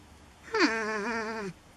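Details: North American porcupine found in a shed, vocally protesting having to leave: one drawn-out nasal whine about a second long, rich in harmonics, dipping at the start, then holding steady and sagging slightly before stopping abruptly.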